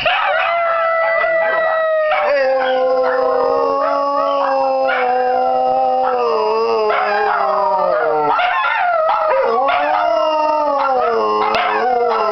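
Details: Group howl by Dachshunds, Missy leading and Celt eagerly joining before a walk: several layered, steady howls held for seconds, one lower voice beneath, pitches drooping and restarting, with TV Christmas music in the background.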